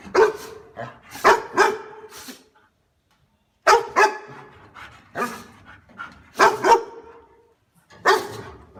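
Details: Dog barking meant to startle household cats and dogs: loud, sharp barks in clusters of two or three, separated by brief silences, with a clear gap near three seconds before the barking resumes.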